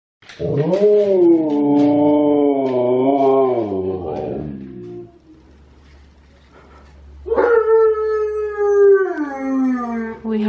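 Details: Siberian Huskies howl along with Tonka the Malamute on TV: a long, wavering, harmonic-rich howl held about four seconds, a quiet gap, then a second howl that starts high and slides downward.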